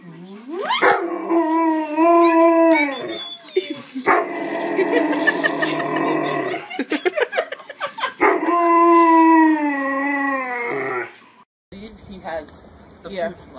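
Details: Alaskan Malamute playing with and protecting babies, giving long, drawn-out, talking-style howls that rise then slowly slide down. Three sustained phrases are broken by a choppy run of short yips, ending with quieter noises.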